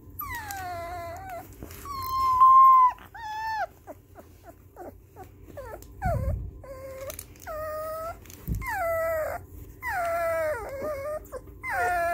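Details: Baby puppies reacting to music switched on in their room for the first time since their ears opened give a long run of whining howls and short yelps: bent, falling tones, some wavering, with brief choppy bursts between and a couple of low thumps.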